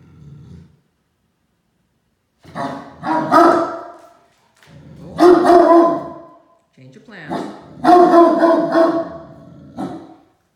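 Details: Great Dane puppy Mikey, now 7 months and 110 lb, roughhousing over toys with his sister Ellie; low, rough play growls and gruff barks arrive in three separate bouts with quiet pauses between.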